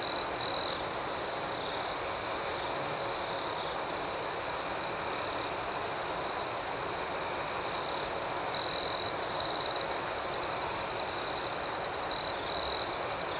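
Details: Night chorus of crickets: a continuous shrill ringing tone with quick repeated chirps, about four per second, and several short louder bursts late in the recording, with nothing else audible.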